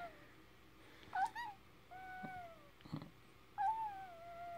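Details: A Dogo Argentino pup about ten minutes after birth gives thin, sliding whimpers, some dipping and some long and level, over a quiet background hum. Soft rustles and a brief knock are heard between them.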